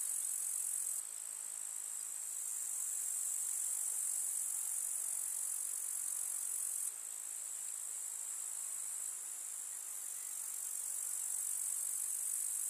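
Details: Meadow grasshoppers on a summer day in the countryside give a dense, even, very high-pitched rasping trill, steady and unbroken, with small sudden changes in loudness, without birds or other noise.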